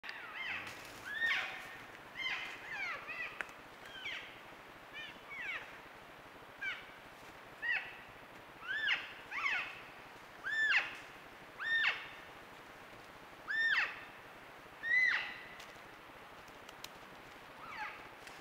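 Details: Elk cows and calves recorded on a trail camera, calves talking with their mothers: a busy run of high, squealing chirps that bend down in pitch, about fifty a minute, overlapping callers at varying distances.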